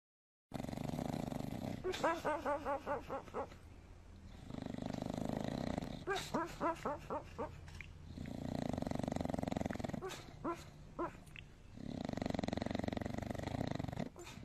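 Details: Dog snoring, rhythmic rattling snores in bursts of rapid pulses lasting about two seconds, alternating with softer breathy exhalations, repeated roughly every four seconds against a steady low hiss.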